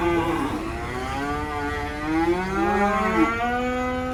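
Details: Black cattle for Qurban sacrifice, unloaded from a truck at a rural pen, bellow a rich, harmonic moo that bends down and then rises, repeated in overlapping waves over faint vehicle hum.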